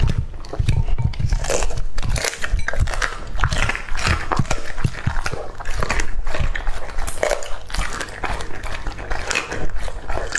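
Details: Male English-type Labrador Retriever Lucky, two and a half years old, chomping raw meat: heavy, deep crunching bites and sticky chewing in quick uneven bursts, faint background music.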